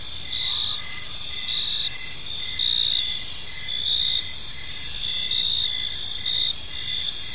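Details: Evening chorus of crickets in a calm park: shrill pulsed chirps repeating close to once a second, several callers overlapping in high bands, a soft low ambient rumble beneath.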